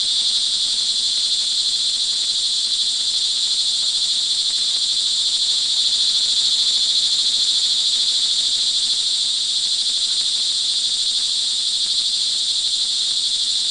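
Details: Many crickets call together during rain in the early evening, Montalban, Rizal, Philippines, June 24, 2011; their sustained high, shimmering trill stays constant across the whole stretch, two stacked bright tones with faint low murmur beneath.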